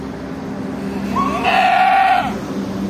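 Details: Goat bleating during a difficult birth: one drawn-out, wavering bleat about a second long, strong and harmonic-rich, over a steady low background hum.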